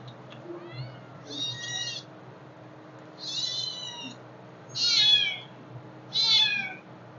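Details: Hungry kittens meowing: four high, thin, wavering cries of about half a second to a second each, spaced irregularly over seven seconds, with a faint low hum underneath.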